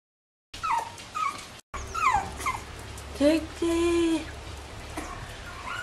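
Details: Bichon Frisé puppies from a kennel litter give short sliding whimpers and yips, then a brief low squeal and a steady held whine, with faint background voices.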